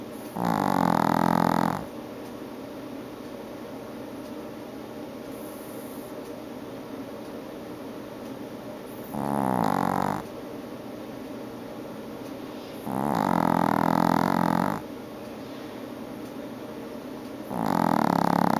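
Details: Female Chihuahua snoring through an afternoon nap: long rasping breaths roughly every four seconds, each a broad buzzy rumble lasting one to two seconds, separated by quiet stretches of steady room hum.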